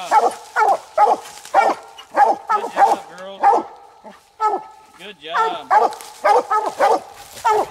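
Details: Coonhounds Nite Ch Fit and Nite Ch Cindy at night on their second raccoon. Loud, harmonic barks come in quick bursts about every half second, with a pair of rising, drawn-out bawls near the middle.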